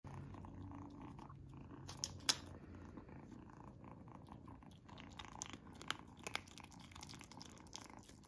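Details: Izzy, a female kitten, eating a treat for the first time indoors, purring in a low steady rumble throughout while sharp crunching and chewing clicks break in, loudest around two seconds.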